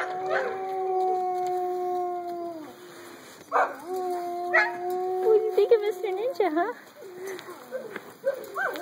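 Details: Mahi puppies, eight weeks old, howling and yipping: long wavering tonal howls that bend up and down, overlapping voices of several pups, with short yips and a person speaking softly.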